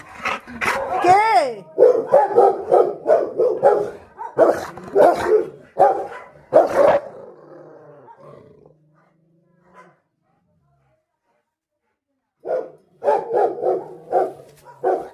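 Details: A Rottweiler barks at street dogs seen outside on the road, with bursts of deep, rapid barks in two runs, separated by a pause. A woman speaks over and between the barks.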